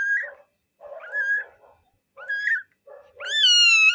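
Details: Twelve-day-old kitten giving thin, high mewing cries, four short squeaky mews followed by a longer, louder, wavering meow at the end.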